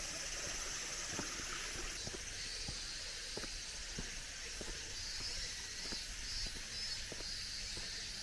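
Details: Cicadas still calling at summer's end on a cool mountain forest road: a steady high hiss of shrilling insects, with crunching footsteps on gravel and stone paving every half second or so.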